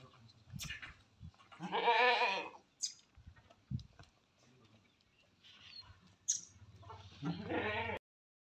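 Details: Tall male Beetal goats from a collection kept for Qurbani: two strong, vibrating bleats about five seconds apart, each lasting roughly a second, with faint clicks and a little talk between them.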